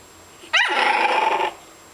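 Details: A fawn pug puppy gives a single raspy, high-pitched growling bark lasting about a second.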